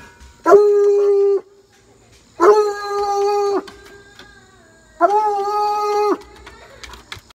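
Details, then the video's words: Bluetick Coonhound in a backyard baying at a rabbit; three long steady bays of about one second each, spaced roughly two seconds apart, rich in harmonics, with a quiet background. "Our Bluetick Coon Hound, “Blue”, Baying At A Rabbit In The Backyard"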